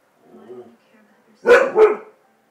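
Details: Siberian Husky barking at a fan indoors: a soft murmur, then two loud, harsh barks in quick succession.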